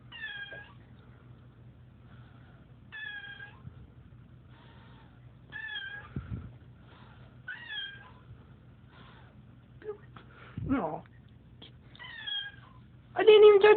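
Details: Cat meowing while being poked by its owner: short, clear, tonal meows come in separate bursts every couple of seconds, each with a slight falling bend, followed by a harsh noisy burst at the end in a small quiet room.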